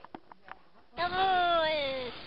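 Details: Domestic cat giving a single drawn-out meow of just over a second. It is tonal and harmonic, rising slightly and then sliding gently downward. A few faint clicks and taps come before it.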